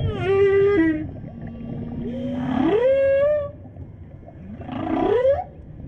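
A whale gives tonal, rising calls with rich harmonics, almost voice-like, repeated a few seconds apart.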